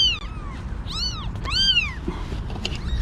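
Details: Newborn kittens, one day old, five in the litter with their mother, rescued before a snowstorm. Three or four clear arched meows, rising then falling, with low background rumble.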